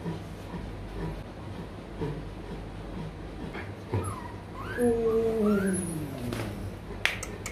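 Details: Rottweiler puppies at a breeding kennel in Hanoi, Vietnam: after a few seconds of quiet room noise, a puppy gives two or three drawn-out, falling whines, each sliding downward in pitch, with faint background chatter.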